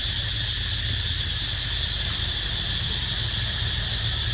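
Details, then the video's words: Continuous cicada song, a loud shimmering high whine that never breaks or changes pitch over a few seconds, backed by a soft low hum. "Amazing Sound Of Cicada Crying"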